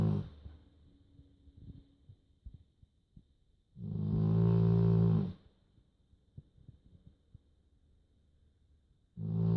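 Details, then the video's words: Joschi, a dog, snoring gently in a small room: one and a half seconds of low, droning, reedy snore in the middle, with quiet breaths and light clicks before and after, and another snore starting at the end. "Lustig Hund schnarcht"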